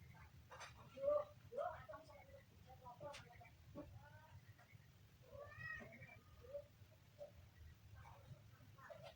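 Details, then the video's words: Kitten giving a run of short, high meows that rise and fall, some with a slight wavering edge, spaced irregularly through an indoor room while a person talks over and between the calls. "kitten funny sound"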